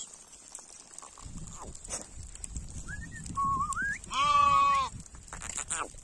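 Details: Sheep heading home in a village: a clear harmonic bleat lasting under a second, preceded by short rising squeaky notes, with rustling, footsteps and a steady high background hiss.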